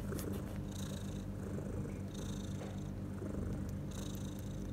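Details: New mother cat purring beside her four kittens, born overnight without warning six hours earlier; a loud unbroken low rumble with pulsing breathy hiss layers every second or so and a few brief soft clicks.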